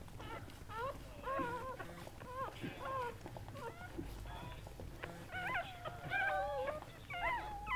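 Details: Goldendoodle whimpering during the whelping of mother dog Sandy's seven puppies; a dense run of short, high, wavering whines with bent pitch, several overlapping, over a low hum.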